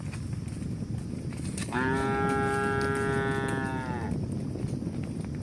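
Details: Cow lowing amid moving cows: a steady, sustained moo of about two and a half seconds, even in pitch before tailing off, over a constant low rumbling background.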